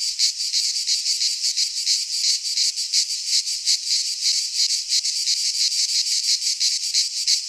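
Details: Cicadas singing in midsummer in a pine forest in Greece: a dense, continuous buzzing chorus, high and hissing, pulsing rapidly about three times a second with no other sounds.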